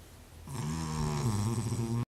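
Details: A female Cavalier King Charles Spaniel, a habitual snorer, snores super-loudly with a low, rumbling, steady drone.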